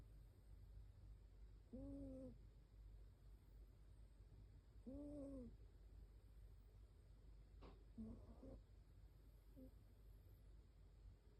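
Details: Shiba Inu asleep and snoring softly, with faint whistled tones on each breath about every three seconds over a quiet low hum, plus a brief click near the end.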